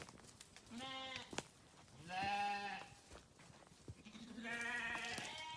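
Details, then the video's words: Three separate sheep bleats from a grazing farm flock: a short call, then a loud trembling one, then a long drawn-out bleat, with brief pauses between. "Sheep Video | Sheep Grazing | Sheep Farming | Sheep Sound"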